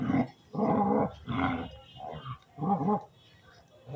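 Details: Dogs playing and play-fighting: rough, broad growling bursts about half a second to a second long, coming in four or five loud pulses with short quiet gaps between them.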